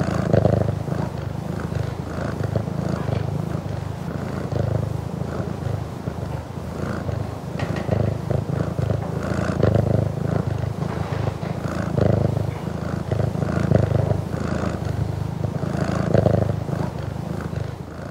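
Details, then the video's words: Burmese cat purring at close range in a home, a continuous deep rumble that swells and fades with each breath cycle, several times per second. Slight rustling is the only other sound. "CU Purring From A Burmese Cat"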